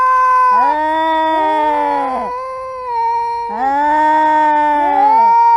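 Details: Live sound of cats showing emotion through meows and screams: two long, steady yowling meows, each with a rising onset and a bending, falling tail, about two and a half seconds apart, heavily harmonic and loud.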